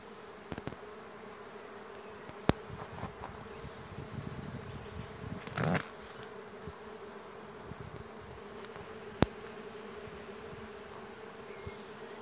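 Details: Bees gathering and flying in from the trees before a storm, a steady low droning hum throughout with a few sharp clicks and a brief louder rustle near the middle.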